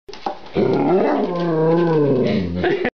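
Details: Large bearded mixed-breed dog, possibly Irish wolfhound, Scottish deerhound or Lab-Airedale mix, 'talking' indoors without barking: a drawn-out, low wavering growl-moan about two and a half seconds long with shifting, voice-like pitch.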